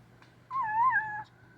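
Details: Deaf white kitten with blue eyes, indoors, making a small noise while eating: one high, wavering mew lasting under a second that rises and dips gently, over a faint low hum.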